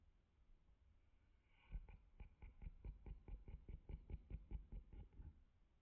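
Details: Russell the dog snoring while asleep indoors: deep rumbling snorts repeated about two to three times per second after a quiet start, steady and low-pitched throughout.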